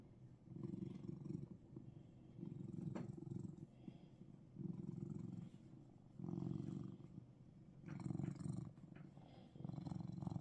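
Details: A Russian Blue cat purrs in Seoul, Korea: deep, throbbing rumble in rhythmic phrases of roughly one to one and a half seconds, separated by short pauses, with a faint click and light rustling partway through.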